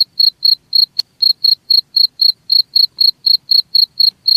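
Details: Cricket chirping, played to drive rats away: clean, regular high chirps about four per second with a bright overtone, one sharp click near the first second, otherwise quiet background.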